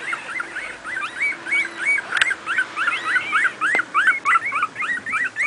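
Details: Playing miniature pinscher puppies aged two weeks, from a litter born 28 July 2008: steady run of shrill, arched squeaks several times a second, a few pups calling together, one brief click midway.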